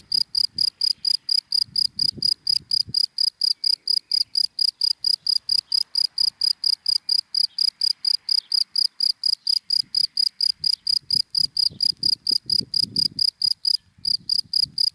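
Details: Daytime cricket singing from dry grass, a long unbroken run of sharp high chirps at a brisk even pace, one brief gap near the end, soft low thuds in the background.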